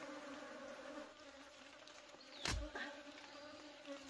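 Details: Wild honey bees buzzing during a wild honey harvest: a steady, low droning hum with an even overtone, broken midway by a sharp knock and a fainter click just after.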